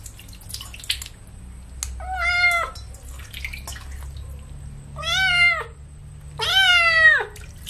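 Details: A kitten bathed with baby shampoo cries out in three clear, harmonic-rich meows, each arching up then sliding down, spaced a few seconds apart, with faint dripping water and a steady background hum.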